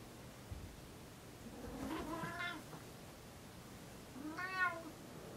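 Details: Tigger, a pet cat, wakes his owners on the bed most mornings before the alarm rings; two drawn-out, harmonic meows about two seconds apart, the second slightly louder, in a quiet indoor room.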